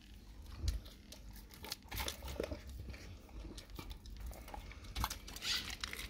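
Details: Dog eating a raw cow tongue indoors: irregular wet, crackling bites and smacks, with sharper crunches near the start and middle and a low background rumble throughout.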